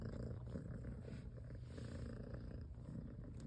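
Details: Mother domestic cat caring for her plump newborn kittens, purring steadily; a low, continuous rumbling purr with soft pulsing rhythm, quiet and unbroken throughout.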